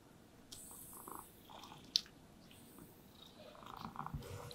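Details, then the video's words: Domestic cats, described as happy and resting in sunlight, purring while being brushed; a low, steady rumbling purr runs under repeated soft, swishing brush strokes, with one sharp tap near the middle. "Happy Cats Purring Sounds with Brushing Sounds"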